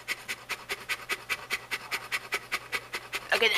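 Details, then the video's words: Pet female Saint Bernard Shelby panting with her long tongue out on a hot summer day. Loud, regular airy pants about two and a half per second, ending with a person speaking over the breathing. "The Saint Bernard That Never Shuts Up"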